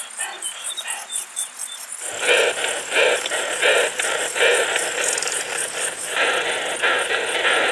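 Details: Isophya brevicauda, the short-tailed plump bush-cricket, recorded in Muhrtal, Austria, 24 July 2022: faint high ticking at first, then louder rasping broadband pulse groups in an uneven rhythm.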